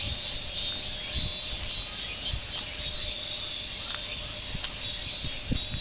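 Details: Cicadas singing together like a chorus, heard "meen meen" along the jogging course of Fuchinobe Park; a steady, dense high buzz holds without a break for the whole stretch, with faint low footstep-like thumps beneath.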